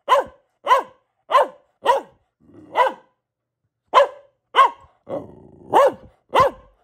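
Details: Pet Boxer, female, barking in a fast series of ten clipped barks with arched pitch, brief pauses between groups, and a short low growly whine near the end; no other sounds.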